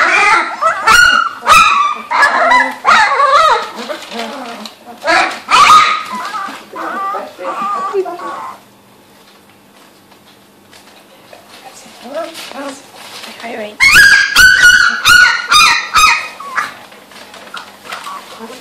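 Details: Several female Labrador Retriever puppies, two to three weeks old, in a kennel on the Gold Coast of Australia, learning to use their voices while playing: bursts of high, wavering squeals and yips, a quiet pause, then more squealing.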